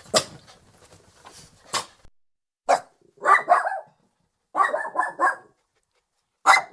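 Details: Lhasa Apso dog barking and growling: sharp barks mixed with rough, grating growled bursts in two clusters, plus scattered clicks and rustling, ending on another sharp bark.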